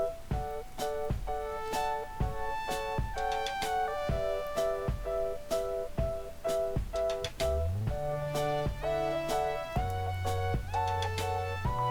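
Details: Gentle keyboard music with plucked, piano-like notes plays in a repeating pattern, and no animal sound is heard.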